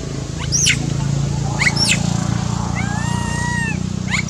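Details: A lone young monkey cries out while its mother ignores it, giving sharp rising shrieks and drawn-out quavering whistle-like wails over a steady low rumble of background noise.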